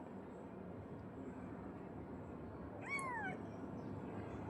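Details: Cat in a Bangladeshi village home that has just had kittens; a single thin, high meow that slides downward, over a steady background hiss.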